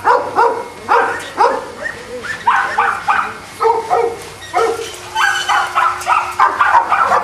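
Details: Boston Terriers housed at a kennel in Jamundí, Cali, Colombia, bark in quick, choppy bursts, several dogs overlapping in a steady, uneven stream of high, sharp yaps.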